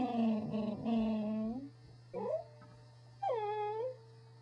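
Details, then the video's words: Corgi giving drawn-out, wavering howls that slide up at the end, followed by a brief yelp and a high arching whine, with a steady low hum underneath. "How to Talk Like a Corgi"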